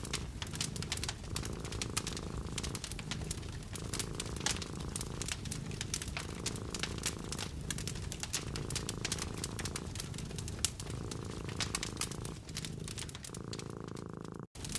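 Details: Cat curled up beside a fireplace in a cozy winter hut, purring steadily in a low pulsed rumble that swells and pauses with each breath roughly every second and a half, over constant crackling and snapping of burning logs.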